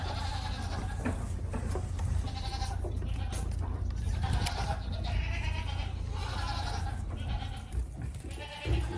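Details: Young goats feeding at a communal bottle, letting out repeated quavering bleats roughly once a second, several callers overlapping, with persistent low rumbling noise underneath.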